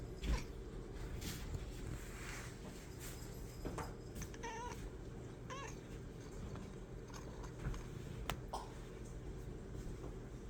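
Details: White cat, playing and happy, gives several short, quiet harmonic meows and chirps, two close together near the middle and another toward the end, over a steady low rumbling background.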